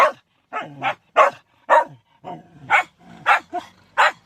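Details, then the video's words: Shetland sheepdogs giving quick, sharp yips and barks, roughly two per second, bright and broadband, with short quiet gaps between them. "Shelties sneezing and howling"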